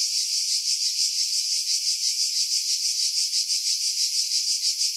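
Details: July cicadas on Skiros Island, Greece, in pines 50 m above the sea at Pefkos Bay; loud sizzling drone with clear even pulses roughly three per second, recorded with a Sony RX3 and external mic.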